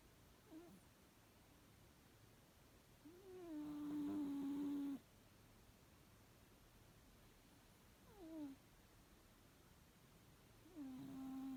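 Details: Sleeping cat snores quietly, one long, steady, whistly nasal tone of about two seconds with a slight rising onset, then fainter short breaths, another tone beginning near the end.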